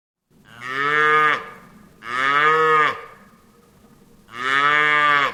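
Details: Farm cow lowing three times, each moo a rich, nasal, harmonic call of about a second that bends slightly downward at the end, separated by short pauses with faint background hum.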